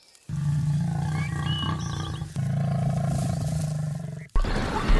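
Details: Lion in the African savanna giving two long, deep, rumbling roars of about two seconds each, with strong low harmonics. A short pause separates them, and a burst of noisy sound follows.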